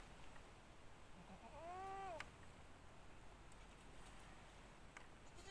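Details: Single goat bleat heard at a goat pen after recent births; a short, nasal, arched cry that swells and drops over about half a second, ending in a click, against a quiet low hum.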